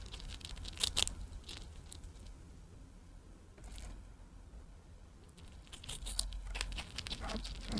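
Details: A female pet Richardson's ground squirrel, born April 2023, eats a freeze-dried strawberry, making quick, wet crunches and crackly nibbles in uneven bursts, with a quiet room hush behind.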